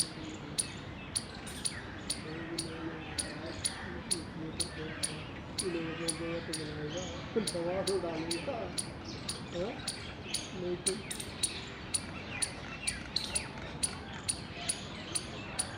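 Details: An Indian palm squirrel in the wild, in mating season on 19 February 2021, chirps steadily: sharp, dry clicks about twice a second throughout. Human voices talk over the middle stretch.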